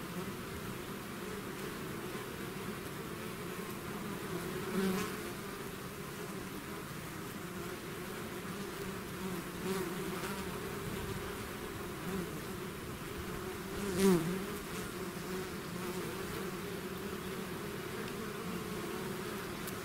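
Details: Bee swarm pouring out of its hive: a dense, steady low hum with layered drone bands, occasional louder single bees zipping past near 5 and 14 seconds.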